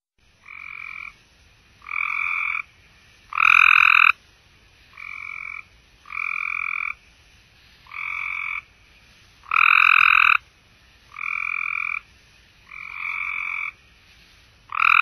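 Cope's gray treefrog gives harsh, buzzy trills about a second long, repeated every second or two.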